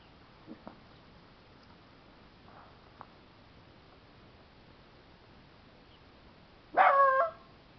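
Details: Two five-month-old puppies playing outside on April 2, 2011; mostly quiet with a few faint thumps and soft sounds, then one loud, harmonic yelping bark near the end, with a person speaking nearby.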